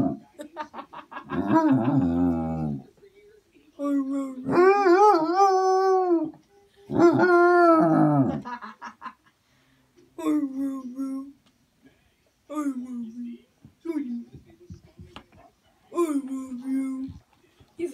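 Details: A Basset Hound howls as he learns to "say" I love you; a series of drawn-out, moaning howls in bursts of one to three seconds, some rising then falling, separated by brief silences.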